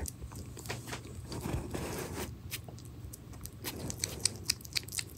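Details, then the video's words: Pet hedgehog named Pirozhok eating minced meat indoors; quiet wet smacking and clicking chews in irregular bursts, about four per second, with a steady low hum underneath. "Ёж кушает фарш"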